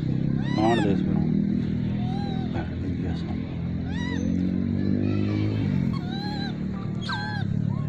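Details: Wild monkeys gathering for food in the Margalla Hills, being fed corn by hand; repeated short harmonic calls with rising and falling arcs, some crowded together, over a loud low-pitched background hum and faint voices.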